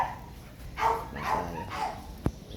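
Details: An American Bully named Ja-kol, in Pasita, barks three times at an even pace, followed by a sharp click, over low background rumble.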